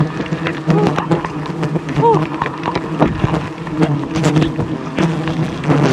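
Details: Aggressive wild honey bee swarm attacking a honey hunter during wild honey harvesting high above the jungle; a steady low droning hum with layered overtones runs throughout, with voices and short knocking clatter on top.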